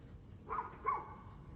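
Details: Two short, sharp barks from a dog, half a second apart, recorded 2/6/2024 at 6:02 pm against a low background hum.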